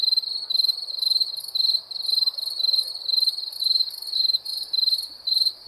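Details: Wild crickets giving high, pulsing chirp trains, each burst lasting about a third of a second and repeating almost twice per second in an uneven rhythm, with no other clear sounds.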